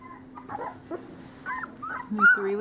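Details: Summer 2013 litter of male Great Pyrenees puppies, whose parents are Bella and Ranger, giving scattered short whines and squeaky whimpers, one rising sharply near the end, over a steady low hum.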